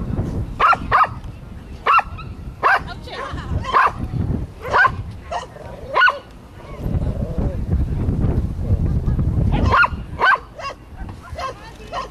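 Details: Kazi, a Japanese Chin, running agility on 11/7/10, gives short sharp barks in quick bursts, some paired, over low rumbling background noise and a person's voice.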